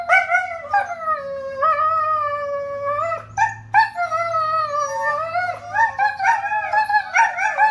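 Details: Sustained husky howls that sound like singing, several long level or gently sliding notes, some wobbling, separated by brief pauses, with a faint low hum underneath.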